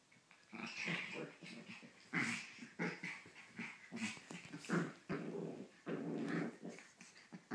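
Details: Pomeranian waking its owner: low grumbling growls and snuffly, breathy huffs run almost continuously over several seconds in uneven bursts, fairly quiet and close.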